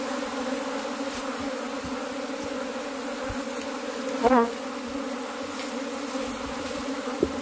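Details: Continuous honey bee hum from a cultivated colony, even and layered, with a short chirp-like sound just past four seconds and a sharp click near the end.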